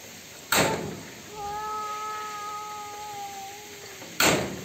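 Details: Domestic cats fighting: a steady, drawn-out yowl with a low, even pitch holds for nearly three seconds. Sharp loud knocks or thumps break in just before it starts and again just after it ends.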